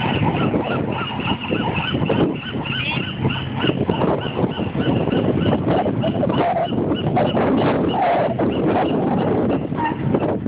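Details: Sea lions barking at the old Fisherman's Wharf in Monterey, California: a dense, overlapping chorus of loud, hoarse, honking barks from many animals, repeated rapidly and continuously throughout.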